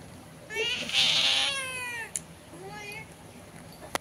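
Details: Pet cat calling through a window to a cat sitting outside; a loud, bright drawn-out meow followed by a softer short one, with Bengali speech nearby.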